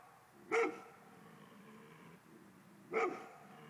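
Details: Two isolated barks from a male Golden Retriever, about two and a half seconds apart, each brief, sharp and full of overtones, with near silence between them.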